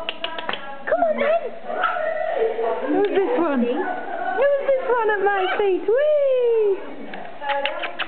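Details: Several Border Terrier puppies give high whining yelps that rise and fall, one long drawn-out descending whine near the end, mixed with short sharp yips and a person talking softly.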